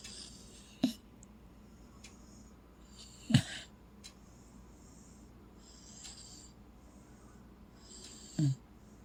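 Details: Sleeping Corgi, tucked under covers, snoring: three short, deep, rasping snores a few seconds apart, each a brief low rumble, over quiet room hiss.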